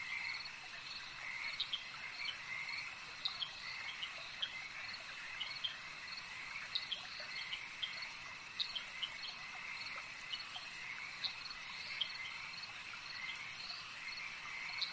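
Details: Lakeside frog chorus, many callers overlapping in a continuous high trill, punctuated by short sharp clicking croaks repeated irregularly every second or so throughout.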